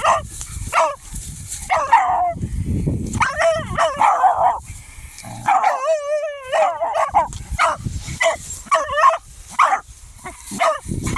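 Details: German hunting terrier (Jagdterrier) barking at a hedgehog it has found: rapid, high, sharp yelping barks in bursts, with a drawn-out wavering whine near the middle; rustling and low noise between barks.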